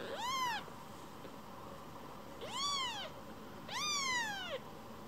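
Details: Affectionate rescued baby kitten returning again and again to be stroked; three loud, bright meows, each arching up then sliding down, the last one longest, about every one and a half seconds, over faint background hum.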